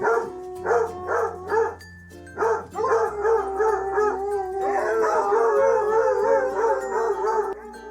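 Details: Dog whining, a sound dogs typically make when wanting food, a toy or attention. Tonal, harmonic cries repeat in quick pulses, then merge into a longer wavering whine, with music playing underneath.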